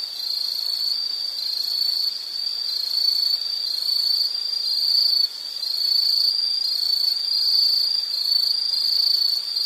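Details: Insect chorus in a nature-sounds recording: a steady, high-pitched continuous trill with faint pulsing, no gaps, and a fainter higher band above; no other clear sounds.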